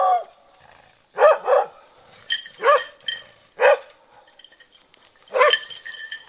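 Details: A young trainee hunting dog keeps its distance and barks at a large, sharp-tusked 85 kg wild boar caught in a snare in a bamboo grove in Innoshima, Japan; loud barks singly and in pairs, irregularly spaced, some strained and harsh.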